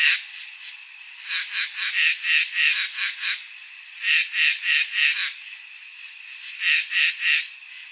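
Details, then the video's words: Summer night chorus of crickets, with harsh buzzy chirps arriving in bursts of several pulses, about three per second, separated by short pauses over a constant hiss-like background trill. "NIGHT SOUNDS | CRICKETS"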